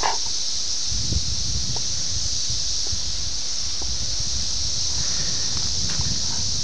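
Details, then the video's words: Brood X 17-year periodical cicadas during their emergence at Ayersville, Ohio, on June 18, 1987, recorded on a VHS camera: a steady, unbroken high buzzing chorus runs throughout, over low rumbling handling and rustling noise. "17 year Cicada, Ayersville Ohio,"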